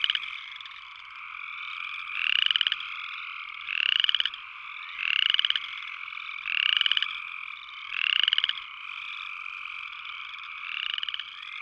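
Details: Repeated upland chorus frog calls: about six rasping trills, each a quick burst of clicks rising in pitch, with pauses of over a second. A dense, constant frog chorus drones behind them.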